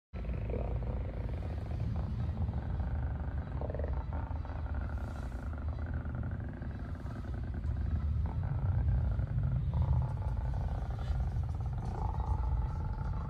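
A sea lion calls in low, throaty rumbles and growls, with rougher roar-like surges rising through the sound. The calls carry steadily for the whole stretch, with a faint hum of background noise underneath.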